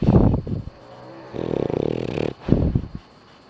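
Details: Dog snoring while asleep with its eyes open: low, rattling snorts at the start, then one drawn-out buzzy snore through the middle, and a final burst of rough snorting before quiet breathing.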